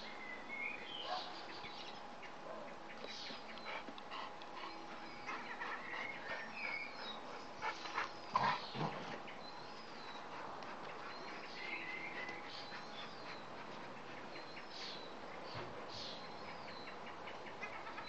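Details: Playing Bernese Mountain Dogs giving scattered high whines and small yips, with quiet panting and snuffling between them over a steady background hum.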